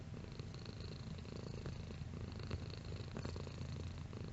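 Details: Cat purring softly, a continuous deep throbbing rumble that stays level and unbroken from start to finish.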